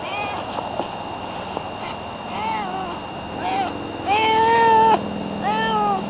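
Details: Barney, a pet cat, meowing in a series of arched, tonal calls, the longest a sustained, slightly wavering meow of almost a second, with faint background murmur between calls.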